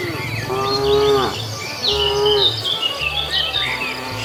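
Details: Cows roaming a road in search of food; two short harmonic moos in quick succession, the second fading, with bright chirping birds or insects and a steady low hum.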